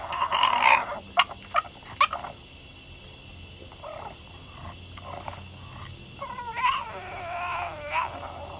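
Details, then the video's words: Female Boston terrier giving her owner sass by crying: a sharp whining burst, a few short clicks, a quieter stretch of soft murmurs, then renewed bending, yodel-like whines near the end. "My Boston Terrier giving me sass"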